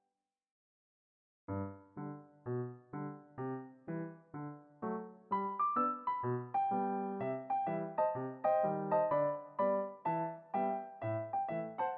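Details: After a moment of silence, a gentle electric piano melody of evenly spaced notes plays, with no animal sound.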